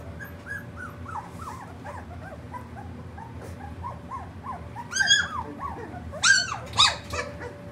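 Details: Three-week-old puppies giving a string of short, high squeaky whimpers that rise and fall, then several louder, sharper yelps near the end, over a steady low electrical hum.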